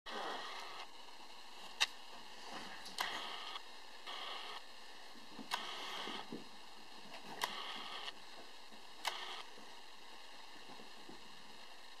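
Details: Pulsing mechanical whirring in short bursts with sharp clicks over a steady hiss; no animal voice is heard.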